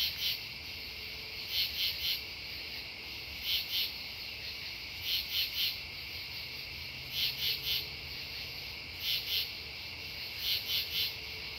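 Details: Chorus of true katydids calling at Devonwood Conservation Area, September 10, 2015; harsh two- and three-pulse rasps repeat roughly every two seconds, several insects alternating against a continuous high-pitched insect background.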